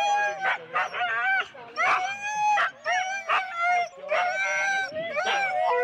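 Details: Huskies in four-dog sled teams at the start line, Rendlesham, January 2016: long, wavering, slightly rising howl-barks from several dogs, overlapping in bursts with brief pauses.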